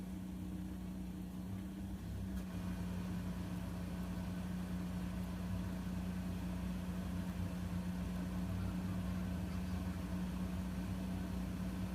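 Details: A steady engine idles with a low, even hum throughout, and no animal voice comes through the mechanical drone.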